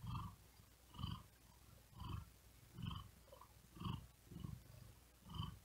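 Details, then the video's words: Tired cat resting on a wooden desk in hot weather, breathing quickly and with effort while purring: low rumbling pulses about once per second, each with faint higher overtones, steady and unhurried. "Asmr Cat Purring And Whispering Sound"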